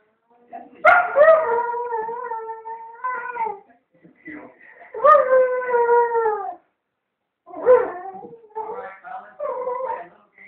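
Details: Dog left alone while its owner went to the shop, howling repeatedly: two long, wavering howls each dropping slightly in pitch, then a broken series of yips and shorter howl fragments.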